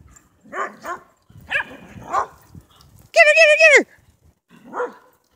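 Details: A whippet and a Shetland sheepdog play chase together at Big Star Lake, Michigan. One dog gives a single high, whining yelp lasting under a second, with people talking and calling out excitedly around it.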